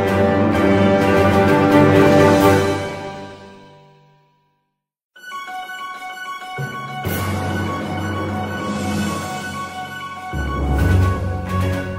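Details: Upbeat theme music fades out to a short silence, then resumes with a bright melody and bass, with no animal sounds.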